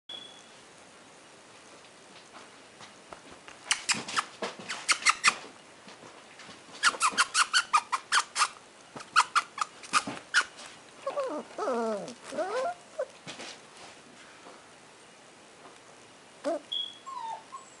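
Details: Varden, a male red apricot Toy Poodle puppy, friendly and active, expected to grow to 7-10 lbs: bursts of clicky snuffling noises, then a run of wavering, high whining whimpers lasting about two seconds, and one short thin whine near the end.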